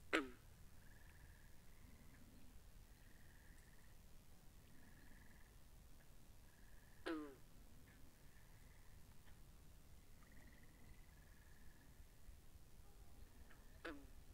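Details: Frogs calling by a pond, recorded binaurally: three sharp, downward-gliding calls spaced about seven seconds apart, with a high, buzzy trilling chorus in short stretches and a low steady hum throughout.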